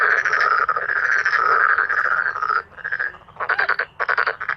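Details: Several male black-spotted pond frogs croaking together, a long overlapping rasping roll at first, then separate pulsed croaks roughly twice a second.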